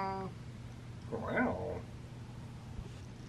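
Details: A pet cat indoors gives a single short, quiet meow that rises and falls, after a person asks a brief question; low steady hum in the background.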